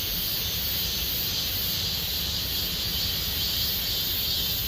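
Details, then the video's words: Cicadas singing in Gomsol Nuri Forest, Sihwa district, as summer deepens: a dense, steady high-pitched hiss that holds without a break and swells gently in places, with a low rumble underneath. "곰솔누리숲의 매미소리 Cicada sound of Gomsol Nuri Forest"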